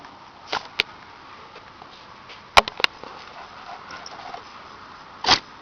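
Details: A cow sneezing after playing with a cat named Shadow: short, sharp, explosive bursts of breathy noise, a pair early on, another close pair midway, and a longer, fuller snort near the end, over a quiet background.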